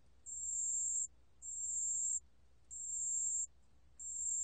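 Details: Sustained, very high, pure-toned trills from a pale bell cricket, four bursts spaced roughly 1.3 seconds apart, with silent gaps and light low hum behind. Recorded in 2020.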